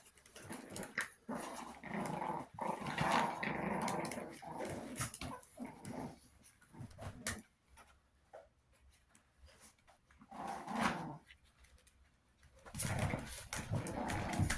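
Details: Two-month-old Chihuahua puppies aged 61 days, indoors: rapid, irregular low growls and whines in dense bursts, a quieter stretch midway, then the grumbling picks up again with scuffling noises.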